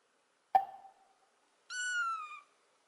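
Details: Kitten that quickly opens up to people, giving one high, clear meow held steady before gliding slightly downward, preceded by a sharp knock and short silence.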